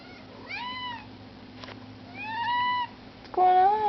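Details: Luna, a young pet kitten, meowing while begging to go outside: three plaintive meows, the first two arched and drawn out, the last abrupt and louder, with a click between and a steady low hum behind.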